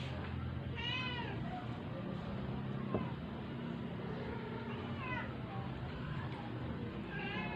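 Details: Sick, dying stray cat being force-fed to survive, giving a few faint, drawn-out meows about four seconds apart over a steady low hum and background noise.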